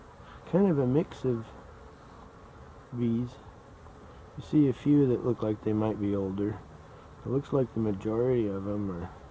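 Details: Honey bees, recorded 12-11-23: loud, low buzzing in short bursts of varying length, the pitch wavering up and down as insects pass close, with gaps of quieter background hum.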